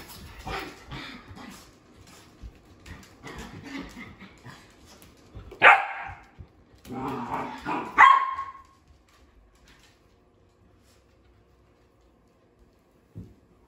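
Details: Female sheprador, one of three pet dogs playing together around the couch: scuffling play noises, then two loud, sharp barks about two seconds apart mid-way, followed by near silence and a faint final thump.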